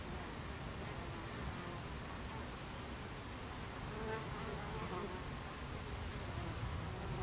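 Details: Hive entrance of Buckfast bees, 26 July 2013, 14:30: a thick low droning hum with passing bees adding short rising and falling whines now and then.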